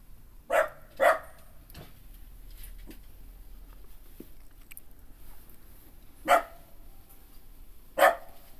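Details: Kai Ken dog in a home garden during evening glamping by a campfire: four short, sharp single barks, two close together at the start, then a long quiet gap before two more spaced barks.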